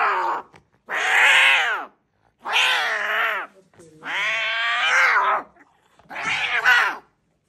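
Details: Angry cat at a vet clinic yowling five times in a row, each cry harsh and raspy, about a second long, rising then falling, separated by short pauses.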